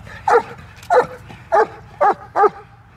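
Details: German Shepherd at a training kennel barking on command, five sharp barks spaced about half a second apart, each a short harmonic burst, with faint background hum between them.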